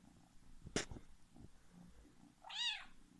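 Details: Indoor male cat wearing a diaper, known for loud attention-seeking calls; a soft click and faint rustling come first, then one short, arching meow near the end.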